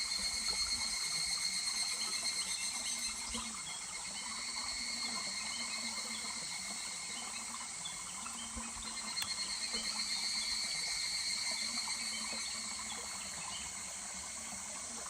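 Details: Streamside higurashi chorus in July, likely at Kuragari Pass: high, ringing pulsed phrases rise and fall in waves, each lasting several seconds, layered over a continuous rush of stream water.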